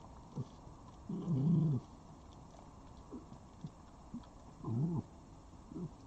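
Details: A wild red fox at a garden feeder in Dublin, Ireland, on 13 October 2021 gives two drawn-out, low, soft moaning whines about three seconds apart, with brief grunts and knocks between them in a quiet setting.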